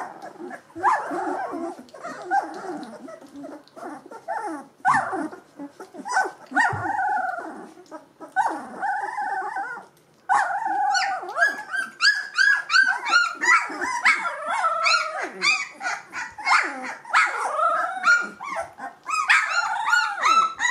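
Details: Two-week-old Gordon Setter litter (E litter), eyes and ears newly open, keeps up restless overlapping whines and squeaks, a brief hush near the middle, then a denser, louder run of arched, high-pitched cries.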